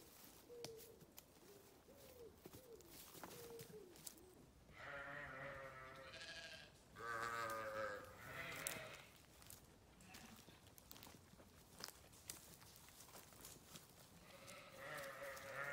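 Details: Sheep calling: soft, short low bleats early on, then two long, loud, trembling bleats in the middle and another rising near the end, over a background of rustling.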